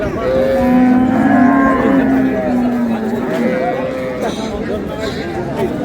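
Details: Dairy cows and calves at Ambari haat cattle market on 15 April '26: a drawn-out, steady lowing moo held for several seconds, with crowd murmur in the background.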